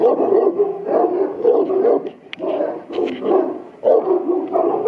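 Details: Deep, gruff barking from Buddy the Boerboel at Aubin Boerboels as he charges toward the camera; dense clusters of barks come in three or four bursts with short gaps between them.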